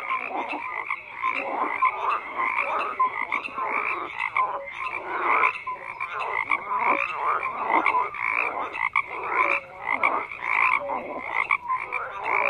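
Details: Many frogs call at once, a steady wall of harsh croaks and clipped tonal notes that swells and fades in uneven waves.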